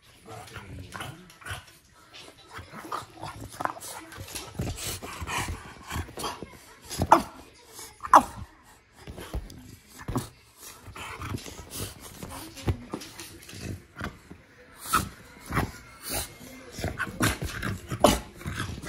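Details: A male French Bulldog whines and grumbles in short, uneven bursts, pleading to be let up onto the sofa.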